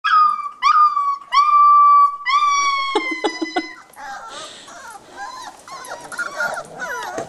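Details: A litter of puppies about three and a half weeks old plays inside the whelping box, giving loud, high, drawn-out whines, each gliding slightly, four in close succession, followed by softer scuffling, squeaks and small yelps.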